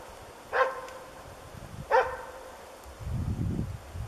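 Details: Diesel of Ukonvuori, a dog training as a moose dog, gives two loud, separate barks during one of its first moose encounters, followed by a low rumbling background noise.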